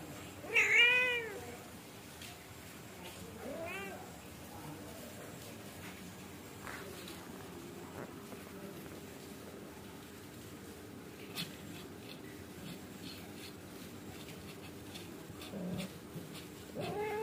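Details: Angora mother cat scolding her kittens indoors so they sleep quickly and behave: one loud, wavering, harmonic meow near the start, a softer second meow around four seconds, then long quiet stretches with faint indoor rustling.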